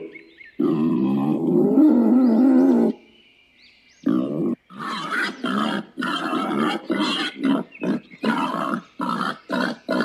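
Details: Wild boar producing one long, drawn-out rasping growl lasting over two seconds, then a pause, followed by a fast, choppy series of short grunts.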